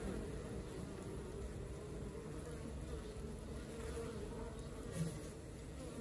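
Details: Honey bee colony at work: a steady, dense buzzing hum with low droning bands, unchanging throughout, and faint hiss above.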